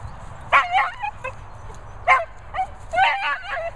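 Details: Two dogs, a cocker and a Vizsla, playing roughly together; short bright barks come in pairs and triplets, some with a wavering, yelping tail, separated by brief quiet gaps with a low background hum.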